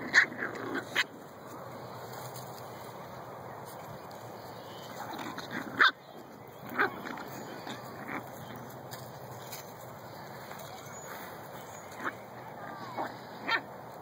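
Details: Seven-week-old Shih-poo puppies at play in a park on a fine day give scattered short, high yips and whimpers, spaced a few seconds apart, over a steady background hiss.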